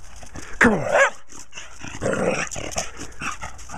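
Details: A small dog playing outdoors in snow toward evening, jumping, spinning and chasing her tail, gives a couple of short harsh barks while a person encourages her with "come on" and "oh yeah".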